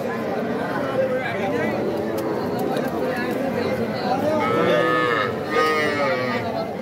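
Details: Cattle at the Aftabganj cattle market in Nawabganj, Dinajpur, on 5 September, where young bulls and heifer calves are sold. A drawn-out harmonic moo rises over steady crowd chatter and bargaining voices in the second half.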